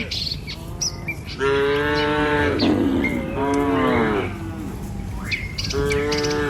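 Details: Dozens of tame village cattle crossing a river bridge on a morning walk to pasture, with herders: drawn-out harmonic moos, one beginning after a quiet second and two more following, while small birds chirp in the background.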